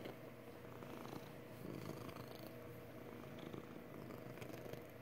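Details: A contented female house cat purring indoors, a quiet, steady, continuous low rumble with no breaks and no other clear sounds.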